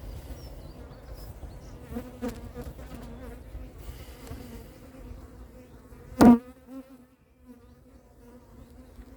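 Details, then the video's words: Honey bees circle the beekeeper near the end of a large swarm capture at Varennes-sur-Seine. They are not attacking but sizing him up, giving a steady, low droning buzz with a sharp knock partway through. "Là, les abeilles qu'on entend, c'est les abeilles qui me tournent autour. Elles n'attaquent pas, mais elles me jaugent. Elles me tournent autour pour m'évaluer."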